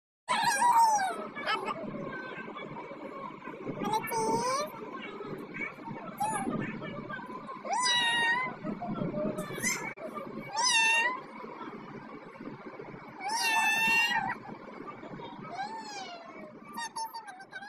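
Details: Little cat meowing repeatedly indoors, a series of high wavering meows, some rising then falling, roughly every two to three seconds, mixed with a person talking throughout.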